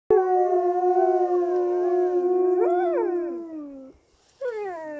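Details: Several captive wolves howling at close range at Polar Park: long sustained tones with rich harmonics, overlapping voices, one rising and bending near the end before breaking off, then a new howl starting after a brief gap.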